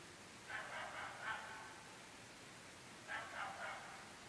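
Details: Dogs barking incessantly at 11.30 pm in an extremely remote rural area of the UK, part of nightly barking lasting seven months: two quick bursts of three or four sharp barks about two seconds apart, fairly distant over a steady hiss.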